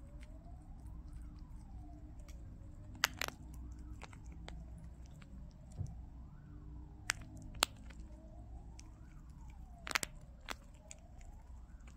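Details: A distant wailing siren rises and falls over low indoor hum, broken by faint clicks and crunching, with no animal voice heard.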